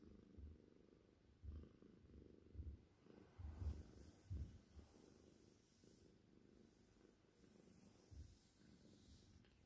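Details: Seal tortie point with white Cornish Rex purring close up. A deep, throbbing rumble rises and falls in roughly one-second breath cycles, louder midway, then quieter.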